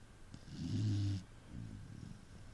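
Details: Snoring Saint Bernard: one deep, droning, slightly tonal snore of nearly a second with a hissing breath layered over it, then a weaker rumbling exhale in a quiet room.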